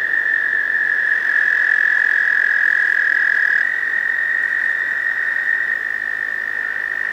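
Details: American toad males trilling in a breeding pond in spring to attract a female; a sustained, even, high musical trill, one voice handing off to a slightly lower-pitched trill midway.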